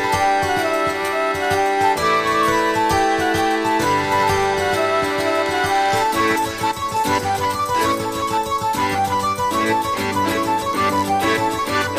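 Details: Bright, plucked harpsichord-like music plays throughout with a steady beat, and no animal voice.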